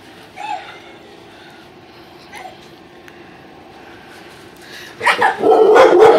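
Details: A Bull Terrier reacting to a baby Yoda toy it hates breaks into loud, harsh, rapid barking after a few faint whining notes.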